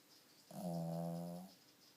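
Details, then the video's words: Pet dog snoring in its sleep, with sleep apnea: a single steady droning snore of about one second, low and humming with stacked overtones, rising abruptly out of quiet room tone and fading away. "My snoring dog"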